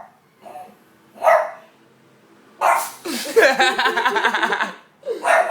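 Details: Pet pug barking at a window: a single sharp bark, then a long rattling, snorting burst of rapid reverse sneezes lasting about two seconds, followed by another bark.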